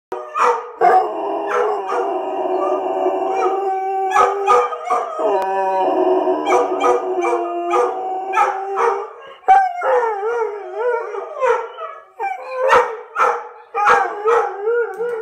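An Airedale Terrier howls in long, wavering, mid-pitched tones broken by short yelps.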